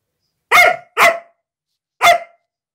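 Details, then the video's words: Female Siberian Husky defending her new carpet as someone nears: three loud, ringing barks, the first two close together and the third after a short pause, clear and harmonic in a quiet room. "Husky protects her Carpet!"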